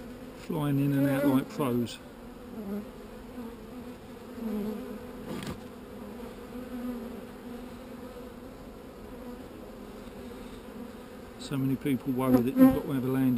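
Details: Calm, not-so-angry honey bees buzzing in a steady low hum, with louder, wavering bursts near the start and end as bees pass close by.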